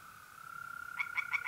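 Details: Tree frog at a pond on an April night in North-East Italy, giving four quick, sharp croaks in close succession, set against the constant droning trill of mole crickets.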